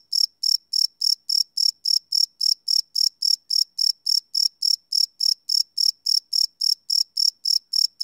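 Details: Crickets chirping at night, recorded live on a Sony PCM D100 field recorder: steady high-pitched pulses repeated about three and a half times per second, each a bright trilled burst, with no other sounds.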